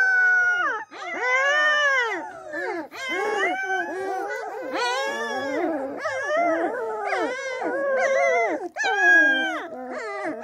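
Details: Several Springador puppies howling together: overlapping high, wavering howls that rise and fall in pitch, merging into a continuous chorus with brief breaks, some voices sliding upward and others dropping, plus occasional whimpering tones.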